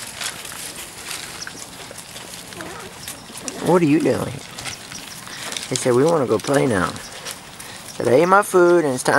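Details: Weimaraner x Vizsla puppies, 3-4 weeks old, from a litter: three wavering, whining cries with a quavering pitch. A short one comes near four seconds, then two together around six to seven seconds, then a last one near the end.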